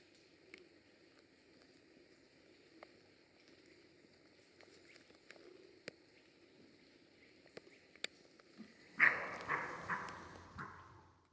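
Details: A European roe deer in July in Grójec County, Mazovia Province, Poland, gives one harsh, hoarse call near the end, after a quiet stretch with faint clicks.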